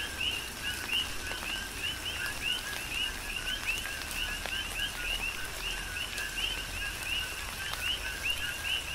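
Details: A chorus of coqui frogs on Hawaii's Big Island: repeated short upward-sliding chirps from many frogs overlap without pause, while tropical rain hisses steadily and drops tick nearby.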